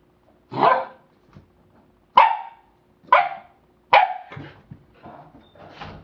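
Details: Rocky, a pet American Pit Bull Terrier, playing with his toy indoors; five sharp, loud barks spaced about a second apart, followed by softer grumbling vocal noises in a small room.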